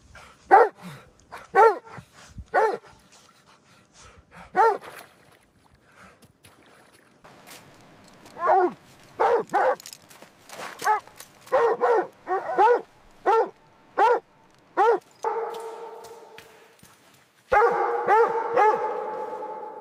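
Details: Puppies playing gently with baby rabbits on green grass outdoors yip and bark in scattered high, clipped bursts. The barks cluster in quick runs, and a longer, steadier tonal sound closes the clip.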